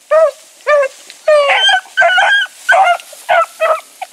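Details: Training pups Sassy and Magnum with dogs Ringo and Boone, voicing a quick run of short yipping howls that blend into rougher, overlapping bark-like cries from more than one dog, about two per second.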